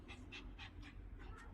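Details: Shih Tzu puppy panting during play time: quick rhythmic breathy huffs repeated about every quarter second, soft and airy, with low room noise underneath.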